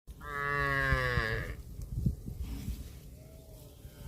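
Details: Cow grazing on grass gives one long, loud moo lasting just over a second, a rich harmonic tone that holds steady and then fades. Low thumping and rustling, likely chewing or movement, follow.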